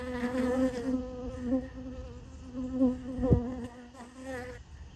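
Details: Honey bees feeding on sugar water placed in a piece of honeycomb, crowding in as more arrive; a steady low droning buzz with rich harmonics swells and fades over five seconds, with one brief thump partway through.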